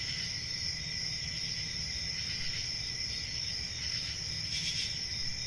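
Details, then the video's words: Crickets keep up an even, high, ringing trill, swelling briefly near the end, with soft low rumble in the background. "1 Hour of Cricket Sounds"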